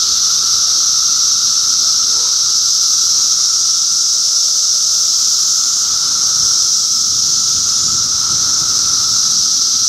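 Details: A cicada chorus from Middlesex County, New Jersey, in June 2013 holds a steady piercing buzz with a quieter humming band below, unchanging throughout, with only faint low background rustle.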